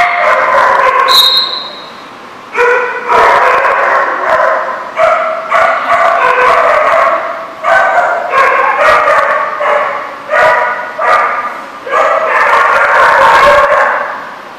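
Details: Dogs barking at The Barking Lot in Rhode Island, recorded January 27, 2014: a dense run of loud, harsh barks in quick bursts, repeated about every half second with brief pauses, a short high squeak near the start.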